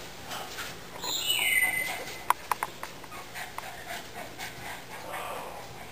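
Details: Cavalier King Charles Spaniel puppy, the big boy of the litter, upset after being moved to the puppy pen; a high whistled whine sliding downward, then soft clicks and scuffles, with a woman's voice faintly nearby.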